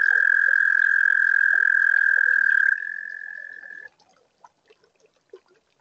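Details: Toad singing at a pond finished in spring 2022, on a warm spring night, recorded by a webcam: a loud, even, high-pitched continuous trill lasting several seconds, dropping in strength before stopping, followed by scattered soft ticks and drips.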